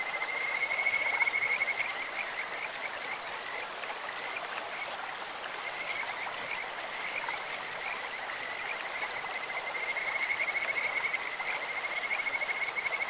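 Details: Kajika frogs calling in a clear stream, their sweet, bird-like voice rising as high, whistled trills that stretch into long sustained notes with shorter chirps between, over a steady rush of flowing water.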